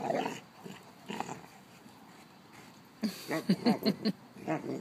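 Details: Old mastiff with her six-month-old pup Brice, a household pair named Lola and Gertie: short harmonic whimpering yelps in a quick uneven burst near the end, after earlier soft grumbling sounds, with quiet room background.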